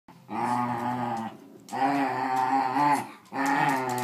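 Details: Schnoodle puppy growling while playing tug of war over a toy with a Wire Fox Terrier indoors; three long, low rumbling growls, each about a second or more, separated by brief pauses.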